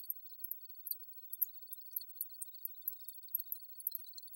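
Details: Soft, quick, pulsed cricket chirps on a steady high pitch, interleaved with faint glassy clicks and tinkles at an even, busy pace.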